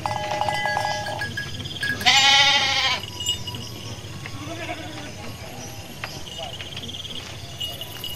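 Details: A Garut ewe, in labour while out foraging, lets out one short, bright bleat near the middle, preceded by a faint steady tone and followed by quieter rustling background.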